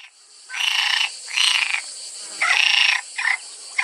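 A frog gives loud, buzzy, nasal croaks in bursts of about half a second, with short gaps between them.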